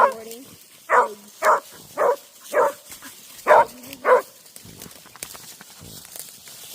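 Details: Beagle at a family Thanksgiving gathering barking: six loud, harmonic barks in a quick run, roughly every half second, then quieter rustling, with people talking before and around the barks.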